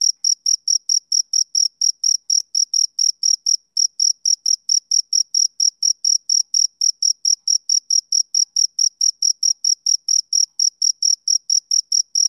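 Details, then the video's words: Summer-evening chirps from a male cricket: clear, shrill, evenly spaced pulses at roughly three per second, with one brief skipped beat partway through and nothing else audible. "Cricket Chirping Sound Effect"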